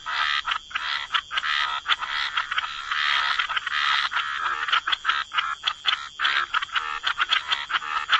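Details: Gentle chorus of frogs by the waterside, many callers croaking almost continuously in harsh, rattling pulses, the bursts thinning into choppy separate croaks toward the end.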